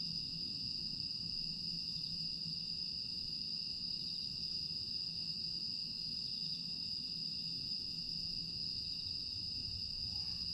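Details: Night chorus of grass insects at Aewol on Jeju, recorded 25 August 2022 in a calm night landscape, a continuous shrill ringing tone without pauses over soft low background hum.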